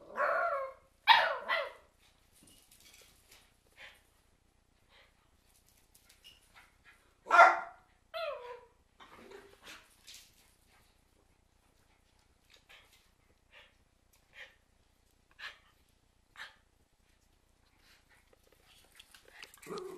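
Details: Cairn Terriers give sharp, loud barks in short bursts, with quieter pauses between them, as a storm is coming.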